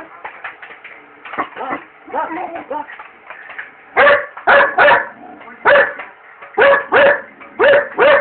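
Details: Barney, a Belgian Malinois, barks indoors at a microwave while popcorn cooks, running back and forth before it; cell phone recording. Voices and murmuring fill the first half, then about eight sharp, loud barks follow in quick succession.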